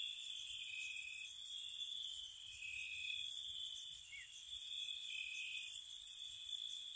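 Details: Gentle spring-night cricket chorus near a cottage: a continuous shimmering high-pitched trill runs beneath bright, brief chirping bursts that come in uneven groups, roughly one to two seconds apart; nothing else is heard.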